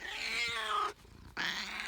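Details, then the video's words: Domestic she-cat producing an odd meowing noise as she shakes her head; a long, loud, strained meow slides downward over almost a second, then breaks off into a short silence before a second meow begins. "My cat makes a funny noise meowing and shaking her head"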